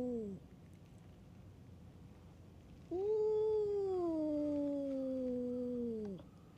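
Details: Stray cats squaring off in a fight at a cat island bar: a short falling yowl, a quiet gap, then one long drawn-out wail that slowly sinks in pitch over about three seconds.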